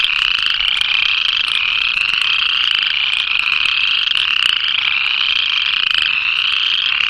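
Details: Upland chorus frogs in Illinois, found in forests, forest edges and marshy fields of the state's southern tip, give rapid, rising, high-pitched trills like the western chorus frog's, repeating and overlapping in a steady chorus.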